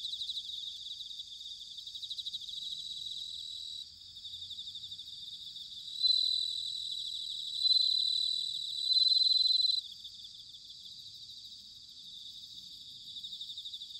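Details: A bell cricket in Chiba's Sanuki, Japan, on an autumn night rings out three bright, bell-like trills about every one and a half seconds, set against an unbroken, buzzing background chorus of other insects.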